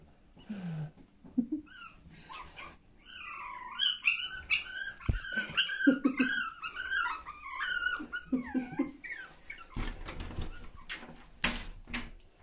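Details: Pomeranian puppies in their whelping room with their mother Yee Yee. A run of high, wavering squeaks and whines follows a few soft grunts, then fades into rustling near the end. Faint music and a woman's voice surround it.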